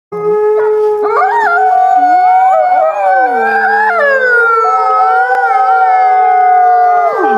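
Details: Wolf howling: several long, sustained, smoothly gliding tones overlapping, some rising then falling, forming a layered chorus of voices that holds steady and drops away at the end.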